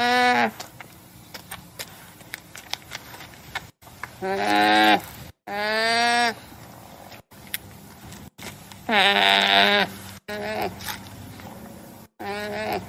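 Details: Llama giving several loud, harmonic, bleating calls in short bursts, each rising then falling in pitch and lasting about a second, separated by pauses and abrupt cuts, over a faint steady background hum.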